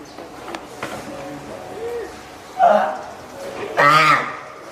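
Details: Hand-reared spotted seal pup at Oga Aquarium, Japan, 9 May 2017, possibly hungry or calling its keeper. Two short, rough bleats follow faint background murmurs indoors.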